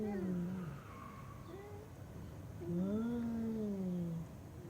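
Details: Cat producing odd, funny vocalisations: a short low meow, then a long, smooth, low-pitched drawn meow that rises slightly and falls away, over a dull low background hum.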